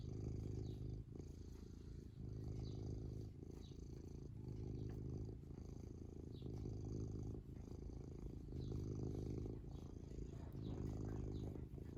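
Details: Long, even purring from a happy, contented cat: a deep, rapidly pulsing rumble that swells and fades with each breath every one and a half to two seconds, with light rustling throughout.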